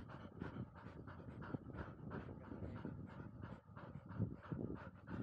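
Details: Panting from a 439-day-old field-line Labrador Retriever puppy on a slope-dash outing: quick, hoarse breaths about three each second, loud and even, with a brief dip in the middle before resuming.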